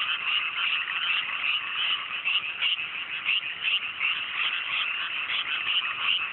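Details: Countryside frogs in a great chorus on a clear night over freshly planted mountain rice paddies in Japan; a thick, unbroken mass of rapid croaking with pulsing swells in loudness throughout.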